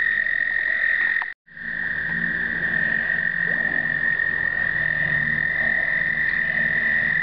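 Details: American toads in an explosive breeding chorus in 2009, filmed with a pocket Canon point-and-shoot: overlapping steady high trills sustained without pause, a dense continuous drone broken by one brief cut near the start.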